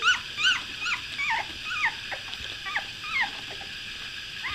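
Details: A litter of two-week-old puppies that have just opened their eyes, heard in the morning: a steady stream of short, high, thin squeaks and whimpers, overlapping and uneven, about two or three per second.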